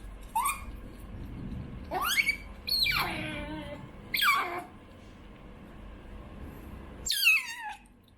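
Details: Choco, a female pet otter born in late 2019, calls for food indoors with five loud, harmonic squeals, each sweeping sharply down in pitch, spaced a second or two apart in a quiet room.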